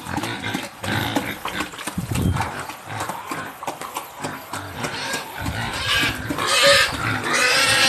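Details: Home-raised wild boar hybrid pigs on a farm in Gia Kiệm, Đồng Nai, grunt and squeal in a noisy, irregular chorus while feeding.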